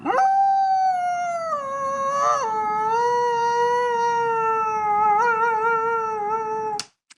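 A grey wolf gives a long, smooth howl that starts high, dips, then holds a steady mournful tone.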